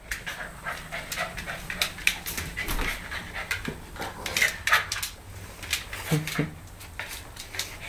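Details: Ten-week-old Siberian Husky puppy and one-year-old German Shorthaired Pointer playing at home, the puppy challenging for dominance; rapid breathy panting bursts and scuffling, with a few low growl-like grunts near the end and a steady low hum underneath.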